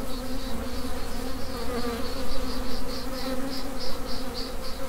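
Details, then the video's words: Honey bee swarm in swarm mode, a dense low steady hum of many workers with a faint pulsing higher whine repeating through the clip. "Honey Bee Swarm"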